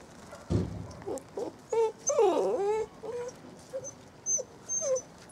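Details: Saluki puppies, seven weeks old, from one litter, making a run of thin, high whimpers and squeaky whines. A longer wavering, up-and-down whine comes midway, with short yelps scattered between bursts and light rustling behind.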